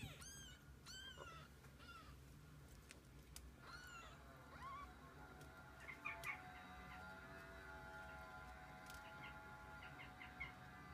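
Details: Kittens spending the day with their mother cat; a quick run of short, high, chirping mews opens, another thin mew follows a few seconds later, then only a constant tonal hum with scattered clicks and taps remains.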